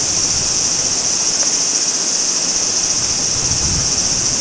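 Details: Japanese summer cicadas at Mt. Kirishima's Maruike spring pond, an unbroken shrill buzzing band held at a constant level, mixed with the hiss of running stream water and a brief low rumble near the end.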